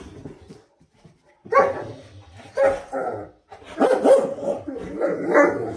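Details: Great Dane talking in the morning with its owner indoors: a run of rough, harmonic groans and grumbles, short at first, then longer, wavering moans in the last two seconds, with a quieter murmur before.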